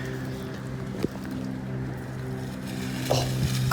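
A steady engine hum with a few knocks and clatters, and no animal voice.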